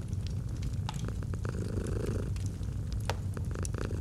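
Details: Domestic cat purring softly in a cozy autumn setting beside a fireplace; steady low rumble throughout, mixed with crackling and sharp pops from the fire.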